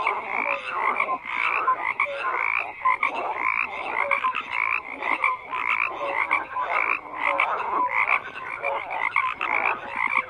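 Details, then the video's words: A crowd of frogs keeps up a thick, continuous croaking chorus of raspy pulses and brief bright notes, surging and easing every second or so, unbroken throughout. "FROGS CROAKING"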